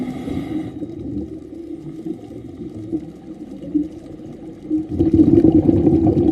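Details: Humpback whale song heard during an afternoon scuba dive, low moaning tones carried through the water amid a rumbling underwater background; the whale was heard singing throughout the dive.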